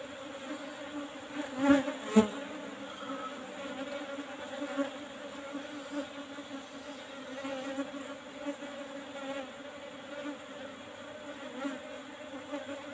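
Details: Asian honey bee (Apis cerana) colony being harvested for honey from an old box hive topped with a used asbestos sheet; steady low droning hum throughout, with two sharp knocks near the start and faint handling sounds.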